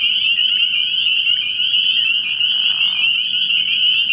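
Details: Spring peepers calling at night from a frog pond early in the year, a dense chorus of high peeps merging into one continuous shrill band with a steady low hum underneath.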